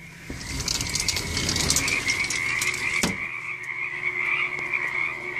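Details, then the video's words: A vast frog chorus, said to be a million frogs, forms a dense, continuous high trilling drone. Broadband rustling fills the opening seconds, and a single sharp click cuts through near the three-second mark. "million frogs"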